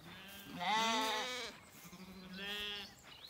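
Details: Zwartbles lambs in an orchard in County Kilkenny, Ireland, during an evening walk; a strong, wavering harmonic bleat followed by a second, shorter one about a second later.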